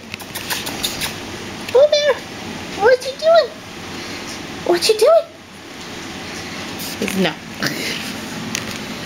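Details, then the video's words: Two six-week-old male Pomeranian puppies, Boo Bear, a tri-blue merle, and a red sable merle, give short high arched whimpering yelps in a few quick bursts, while a woman's voice calls the boys over. "Boo Bear (Tri-Blue Merle Male) and Red Sable Merle Male Pomeranian Puppies at 6 Weeks"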